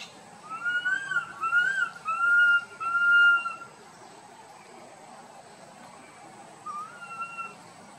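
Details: Tiny monkey Boston crying loudly while wandering with his group: several drawn-out whistled cries, each rising then falling, clustered over about three seconds, then a quieter cry near the end over faint steady background hiss.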